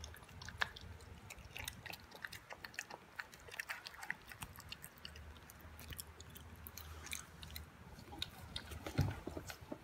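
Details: Boston Terrier puppy Toby, 11 weeks old, chews through a first raw meal of beef, vegetables and yogurt. Soft, irregular smacking and crunching clicks continue throughout, with a faint low drone underneath and a sharper bite near the end.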